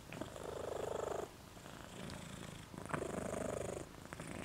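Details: Moca, a dog sleeping with his tongue out, snores in two long rattling breaths, each a buzzy rasp lasting over a second, separated by a short quiet pause.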